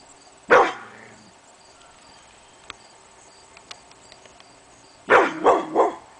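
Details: Pit bull named Hemi Bleu barking on an August morning for no apparent reason: one loud bark, a long quiet gap with faint clicks, then a rapid burst of three barks.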